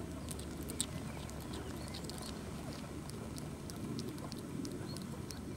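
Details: A hungry hedgehog just out of hibernation eats meat, chewing and smacking loudly with quick wet clicks over a low, steady rumble.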